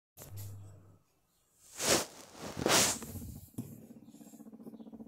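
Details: Smiggle, a pet guinea pig, while being petted: a short low hum, two loud broadband rustles, then a steady pulsed low rumble for the last second and a half.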